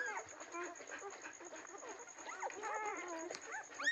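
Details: Several German Shepherd puppies offered for sale in Nellore whine and yelp together in overlapping high, wavering, squeaky cries throughout, with a steady high electronic tone running underneath.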